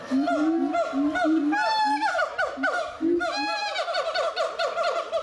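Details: Gibbons singing at Doué-la-Fontaine zoo in France in 2010: loud overlapping whooping notes, some sliding upward into high wavering, rich-toned hoots, rising in excitement, several animals calling together.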